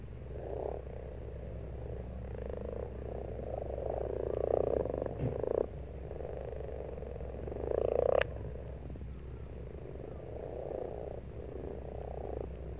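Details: March pond chorus of frogs: grating, pulsed croaks rise in loud bursts around four and eight seconds, with softer overlapping callers between and a low steady hum.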